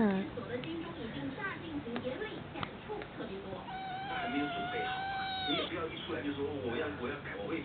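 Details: Domestic cat giving one long, drawn-out meow that holds steady and then drops at the end, heard over background human speech and room noise.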